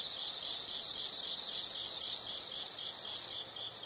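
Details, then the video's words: Insects calling: a loud, continuous, very high ringing trill with a slight pulsing flutter holds for over three seconds, then stops, leaving faint quieter chirping. "the sound of insects"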